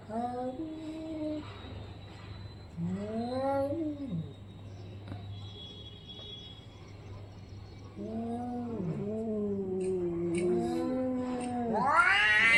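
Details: Orange-and-white domestic cat in a fight, drawn-out wavering yowls rising and falling, in bursts with quiet gaps, ending in a harsh high screech; faint steady hum underneath.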